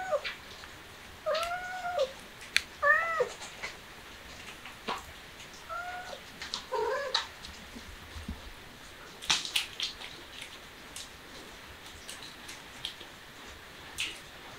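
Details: Baby kitten, described as starting to act cute, giving about five short, clear, tonal meows in the first seven seconds, some in quick pairs and slightly falling, then mostly quiet apart from scattered clicks and tapping sounds.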